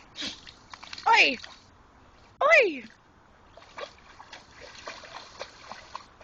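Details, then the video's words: Pit Bull named Jayde digging for a rock in a creek, making funny noises: two loud rising-and-falling whining squeals about a second apart, then splashing water and soft scraping. "Pitbull making funny noises in the creek"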